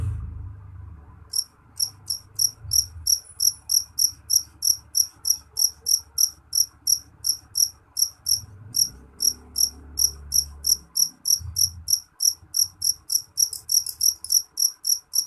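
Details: Low muffled noise opens before a jeliteng cricket starts its loud, piercing chirping, roughly three high pulses per second, continuing steadily with a few short gaps. Soft low thumps sound faintly underneath.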